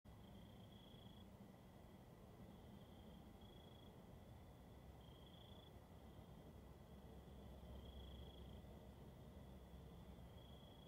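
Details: Cricket. Night crickets keep up a thin, high-pitched trill that swells in short pulses every second or so, with a fainter steady tone beneath. A deep background rumble runs throughout.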